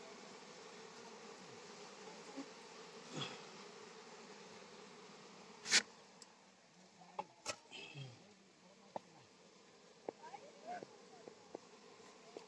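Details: Buzzing honey bees disturbed while honey is taken from their hive in Palpa Rampur, a continuous droning hum broken by loud thumps, clicks and faint voices.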